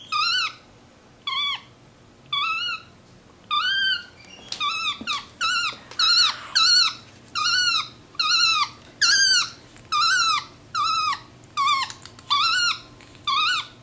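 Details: Capuchin monkey MonkeyBoo, a vocal pet on a leather couch indoors, delivers a long series of squeaky wavering calls, sparse at first, then a rapid steady run of short notes nearly twice a second.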